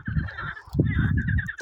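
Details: Frog sitting on a stone, calling loudly as if trying to outshout all the others; low, rough, pulsed croaks in two bursts with a harsh buzzy overtone, separated by a brief pause.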